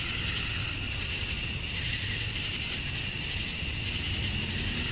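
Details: Male cicadas chirping to attract females at dusk on a summer night in Georgia, USA: a dense, unbroken high-pitched insect drone, with a steady shrill whine over softer buzzing layers and no pauses throughout.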